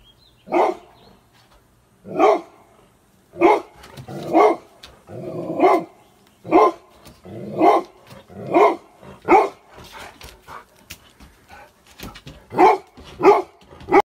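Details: A scared Golden Retriever in the United States barks at a pelican-shaped pool floatie, giving a steady run of loud, sharp barks, roughly one every second.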